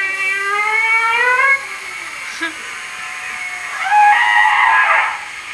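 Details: Humpback whale (Megaptera novaeangliae) song recorded in Hawaii, whose humpbacks sing in regional dialects: a long, slightly rising tonal moan followed by a rougher burst of sweeping upward cries.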